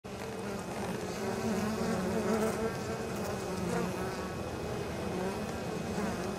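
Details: Honey bees returning to the hive with pollen and nectar on an exceptionally mild 23 October, near fields close to the apiary; a dense, steady low hum of many wings with overlapping droning tones.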